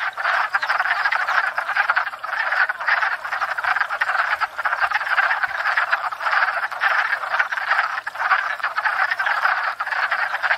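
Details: Spring pond chorus of many wood frogs courting and breeding, a steady wall of rapid, raspy clucks and quacking croaks layered over one another without a break.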